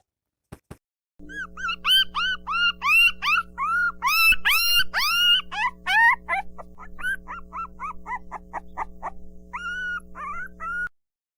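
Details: Insistent dog barking, said to signal hunger, thirst or boredom: a rapid run of high, arched yelps, several per second, fading toward the end, over a steady low hum.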